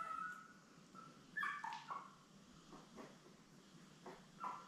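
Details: Litter of seven Labrador Retriever puppies born May 24, 2021, nursing with mother Belle: thin, tonal whimpers and squeaks, several sliding downward, spaced irregularly over a low background hum.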